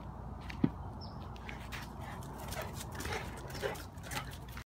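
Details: Female Mastiff aged 22 months gives soft, brief whimpers and a faint yip over a steady low background hum.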